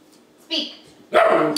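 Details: An 11-week-old German Shepherd puppy, Sergeant, learning tricks indoors, barks when told to speak: a short bright yap followed half a second later by a longer, harsher bark, with a trainer's voice nearby.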